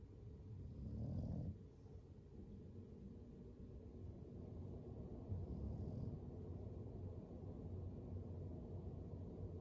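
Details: Floyd, an English Bulldog, asleep by the fire, gives low rumbling snores. One louder breathy snore comes early, then steadier soft low rasping continues in a quiet room.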